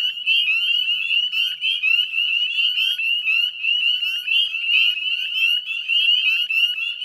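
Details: Northern Spring Peepers calling en masse in a salt-marsh wetland at West Chezzetcook, Nova Scotia, at dusk on a May evening in 2020; piercing upslurred peeps pile on top of one another, forming an unbroken high-pitched wall of sound.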